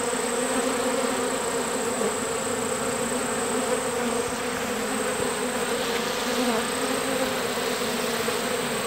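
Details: Continuous, even drone of a honeybee swarm on a farm in summer, the newly housed bees humming steadily without pause.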